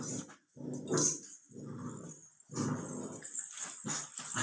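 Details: Labrador Retriever puppy, 64 days old, growling indoors in low rumbling bursts of about a second each, separated by short pauses, with faint hiss in the background.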